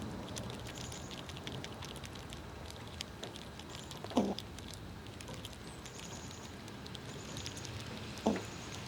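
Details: Several squirrels feeding on nuts in cold winter conditions, two crisp shell cracks about four seconds apart over a low bed of nibbling patter, with thin high bird whistles drifting in the background.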